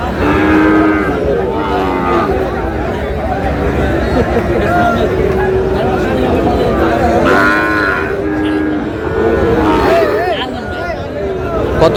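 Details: Tiny bull calves for sale at a busy cattle market in Comilla, Bangladesh, 14 May, bought by a local farmer. Repeated low, wavering moos from several calves come throughout, mixed with steady human talk and crowd noise.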